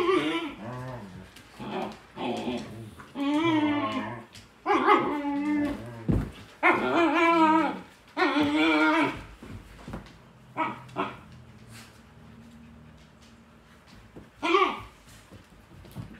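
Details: Dodger, a Shepsky puppy, picking at the other dogs at home: long wavering whines and moaning grumbles, some rising and falling, in bursts across the first ten seconds, then a few short yips, with soft music and a person speaking.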